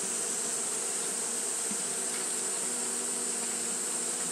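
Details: On a hot day, Japanese honey bees keep fanning, giving a thick, constant droning hum of overlapping low notes with a persistent shrill hiss on top.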